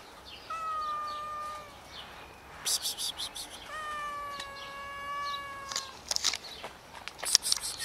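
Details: Scared homeless cats, four found outdoors and fed, give two long, steady, harmonic meows, the second held for about two seconds, between bursts of clicking and rustling from the feeding.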